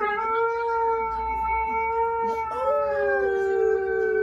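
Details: Siberian husky crying in one long, steady, tonal howl that lifts briefly in pitch partway through, then settles and continues, with faint low background rumble.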